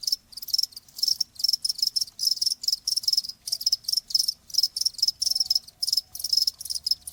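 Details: Steady cricket chirping, bright high-pitched pulsed bursts repeating about three times a second without letup, loud and close against near silence.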